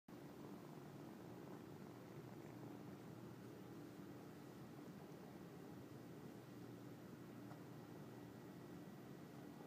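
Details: Gabbana, a cat growing more trusting and accepting first caresses while cuddling, purrs in a soft, steady low rumble with a fine rapid pulse throughout, over a faint constant electrical hum in a quiet room.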